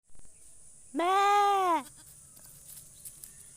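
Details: Goat (Capra hircus), bleat.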